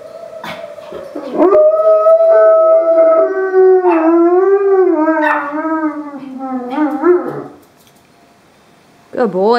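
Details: A giant Alaskan Malamute and a Chihuahua howl along with a siren that sounds every Wednesday at noon, in long, sustained, wavering tones that rise and fall; then a person praises them: "Good boy."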